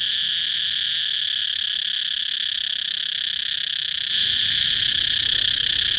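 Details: Shrill, unbroken droning of a cicada, steady and loud across the whole stretch, growing slightly stronger and brighter over the final two seconds.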